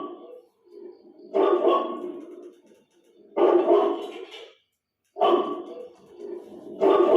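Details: A roughly four-month-old puppy watching its own video on TV barks in loud, rough bursts about every two seconds, with quieter murmuring in the gaps and faint music in the background.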